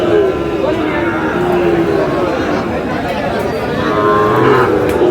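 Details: Sahiwal bull calves, described as over seven to eight months old, at a cattle market where a Meherpur farmer is buying. Drawn-out, wavering moos rise and fall over steady crowd chatter and nearby talking.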